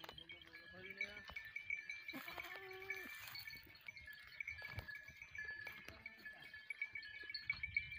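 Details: Goats mixed with sheep: several wavering, nasal bleats, about a second each, rising and falling, come in bursts over a steady jingle of bright metallic bells.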